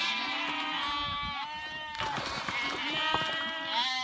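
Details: Flock of sheep leaping over a small stream, several overlapping drawn-out bleats, some wavering and some sliding up in pitch, calling almost continuously.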